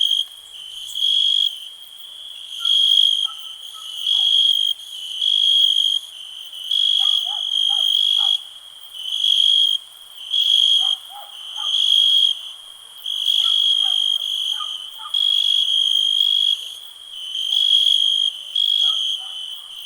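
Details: High, shrill cricket trills in relaxing night-style ambience from 2021, pulsing in even one-second bursts separated by brief pauses, while fainter, lower chirps of other small callers flicker underneath.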